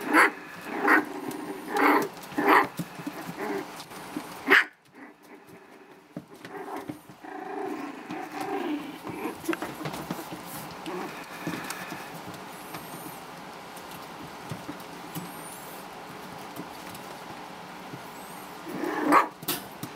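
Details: Havanese puppies, four weeks old, a litter of four males and one female, playing with littermates and toys; soft growls and short yips come in bursts early on, then a quieter stretch of low rustling before a final yelp.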